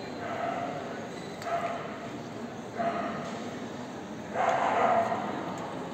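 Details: Magyar vizsla at the CACIB Oldenburg 2023 dog show: four short, loud barks come at irregular gaps over about five seconds, the last the strongest, above a steady murmur of crowd noise.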